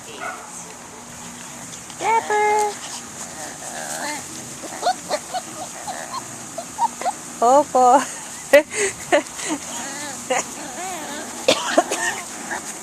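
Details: Swedish Vallhund puppies, five to six weeks old, giving high squeaky yips and whining whimpers in irregular bursts, some rising and falling in pitch, with a person talking over them.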